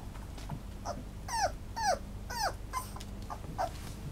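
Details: Toy Poodle whining; a series of high, clear, downward-sliding whimpers with bright overtones, about five in four seconds, the middle ones loudest, over a faint steady indoor hum.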